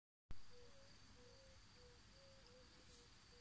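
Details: In the evening at a mountain-village homestead in Transylvania, several yellow-bellied toads chorus with soft, hollow, mid-pitched notes about every second, over a faint high insect tone and low rumble.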